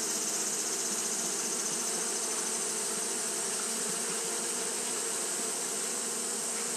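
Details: Constant fanning by Japanese honey bees in hot weather produces a thick, unvarying buzz with several low humming bands and a sustained shrill hiss layered above it.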